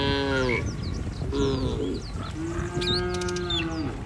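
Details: Village cattle in a herd wandering along a street, several drawn-out harmonic moos, one long steady low call near the end, with bird chirps overhead.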